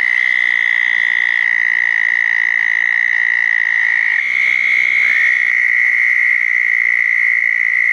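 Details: Southern toads trilling at two small ponds on a wet June night after a thunderstorm in 2014. A loud, level, high trill continues throughout, joined at first by a lower overlapping trill, with small pitch jumps as callers change.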